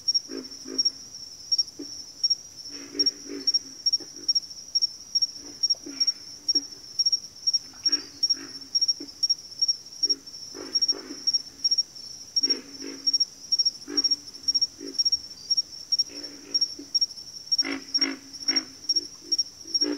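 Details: Backwater frog chorus with many short, deep grunts clustered in uneven groups, some callers overlapping, beneath a steady high-pitched pulsing trill that never stops.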